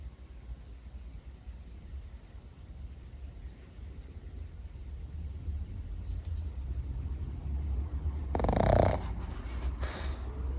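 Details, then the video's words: Pug napping and snoring like a little pig: a steady low, rumbling snuffle of rapid rough breaths, growing slightly louder, with a brief sharper burst of sound near the end. "Funny Pug Sounds — Cutest Snoring Dog EVER!"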